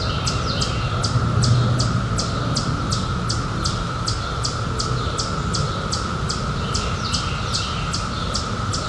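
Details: Cicada chorus from the 2021 emergence after 17 years, summer night: one continuous mid-pitched buzz without a break, crisp high chirps pulsing about three per second on top, and a dull low rumble underneath.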